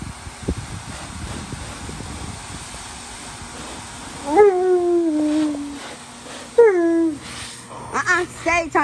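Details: Tonka, a giant Alaskan Malamute, unhappy and crying like a baby; after low murmuring, two long drooping whines sound, then a quick burst of short yelping cries at the end, indoors.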